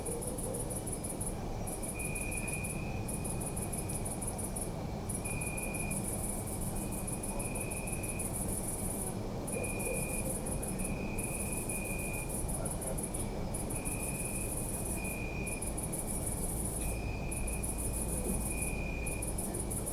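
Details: Night chorus of crickets in a city park, a continuous high shimmering trill broken by brief gaps, with a clear tone sounding in repeated pulses of about a second, over a steady low hum of the city.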